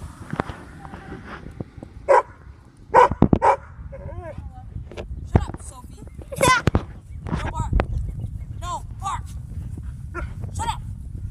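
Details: Little dog barking at a cat: a few sharp, broadband barks around the two-to-three-second mark and again near six seconds, mixed with whiny voiced sounds and a person talking over low background rumble.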